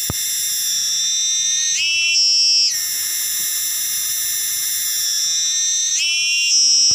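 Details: Cicada, locally called tonggeret or garengpung, shrilling loudly from trees: a piercing, steady whine of stacked high tones, with two brief upward shifts in pitch before it settles back into the unbroken drone.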